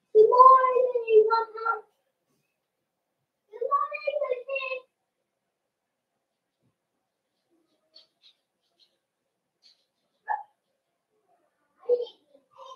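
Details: Cavalier King Charles Spaniel puppies in an indoor puppy pen, socializing with several older dogs on the day they start puppy food: a drawn-out, wavering whine of about two seconds, then a shorter whine, followed by a few brief yelps after a quiet gap.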